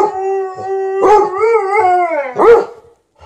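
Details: A 13-year-old Golden Retriever howling for more petting, an objecting Malamute nearby: a continuous wavering howl that lifts and dips in pitch, breaking into a sharp, loud yelping rise near the end, then silence.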